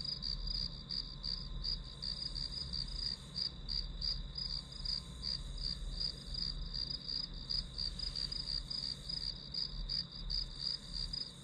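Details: Grass insect chorus used as study white noise; shrill, evenly spaced chirps repeat almost three times per second over a steady high-pitched hum, and a faint low background rumble continues throughout.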